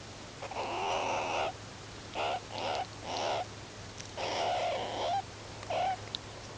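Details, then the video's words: Meerkats of the free-living Ungulungu group huddling and grooming one another at sunset before sleep; drawn-out, harsh, harmonic calls lasting up to a second, several in a row with short pauses, over a quiet, steady low hum. "MEERKATS GROOM AND HUG AT SUNSET ☆ MEERKAT WHITE NOISE ONLY"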